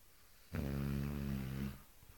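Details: Eight-month-old female Cane Corso snoring like a lumberjack: one long, low, rumbling snore with a steady buzzing tone, held for a little over a second, then quiet breathing.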